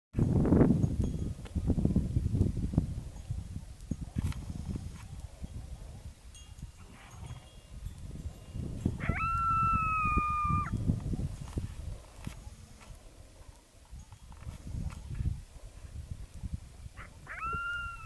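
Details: At sunset, a coyote gives a long, steady howl that rises then holds, over a low rumble of wind.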